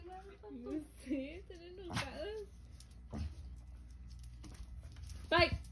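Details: Two Basset Hounds barking and "talking back" indoors give wavering, moaning yodels followed by deep, abrupt barks.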